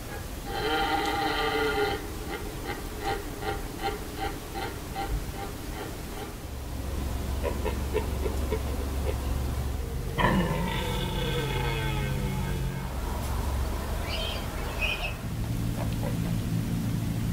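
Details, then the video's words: Red deer stags calling at Hoge Veluwe in 2017: a strong harmonic bellow, then a run of rapid short grunting pulses, a later descending roar, and a steady low hum. "Burlende herten 2017 Hoge Veluwe"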